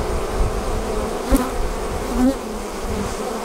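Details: Honey bees leaving their hive as a swarm, a thick buzzing drone with a couple of brief louder swells as individual bees pass close.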